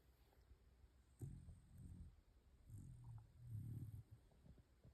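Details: A Pembroke Welsh Corgi asleep gives soft, low, rattling snores, a few uneven rumbles rising and fading over several seconds.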